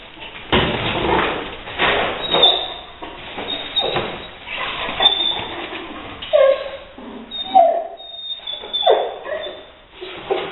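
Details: Leo, a Rottweiler, indoors confronting a gray squirrel intruder that he finally evicts through an open window; excited barks and yelps come in irregular bursts, with occasional thumps and knocks between them.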